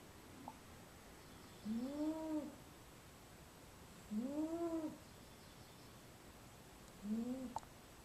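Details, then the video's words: Napping in a small basket, a female house cat gives three soft whistled snores, each an arching rise-and-fall tone lasting under a second, repeated every two to three seconds in a quiet room. "Snoring Cat"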